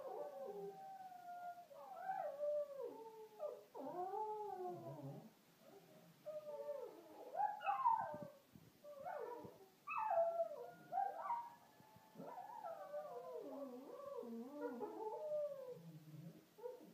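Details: Lhasa Apso (Canis familiaris), howl.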